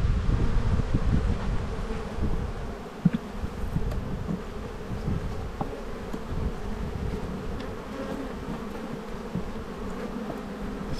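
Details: Honey bee colony buzzing as frames are lifted during an Australian spring inspection, 7-9-22: an even, low droning hum with occasional sharper buzzes of single bees and faint wind.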